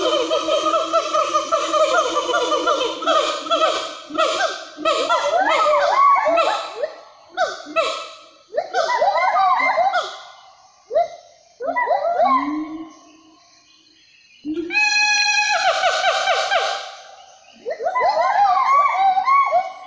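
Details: A gibbon, locally called 'wawa', gives loud, rich, wavering hoots rising and falling in quick succession in the Meratus mountain forest, often heard but rarely seen along hiking trails.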